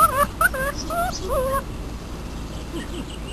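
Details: Four-week-old Great Dane puppy, one of two brothers out playing in the open for the first time, gives a quick run of five or six wavy, bending yips and whimpers, then fades to quieter faint whines over steady outdoor hiss.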